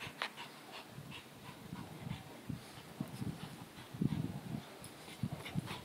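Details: Boston Terrier chasing a ball indoors, giving low, rough panting and snorting breaths in short uneven bursts that grow stronger midway, with faint scuffling and a few higher clicks in the room.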